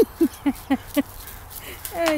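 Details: German shorthaired pointer playing with and attacking a teddy bear, giving five short, low, gruff barks about a quarter second apart, followed by a brief higher rising sound.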